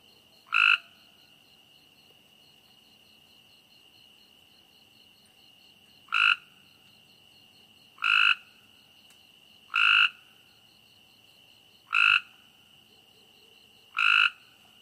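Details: Night-time frog giving short, loud, rasping croaks, six in all, spaced irregularly about two to five seconds apart, over a constant high-pitched cricket hum.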